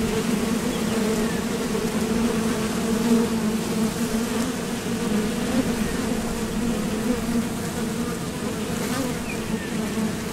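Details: Honeybees at the entrance of a Top Bar Hive, leaving and landing as they fly out to forage for nectar; a steady, dense, continuous hum of many wings, droning low with layered overtones, even in loudness throughout with no other sounds.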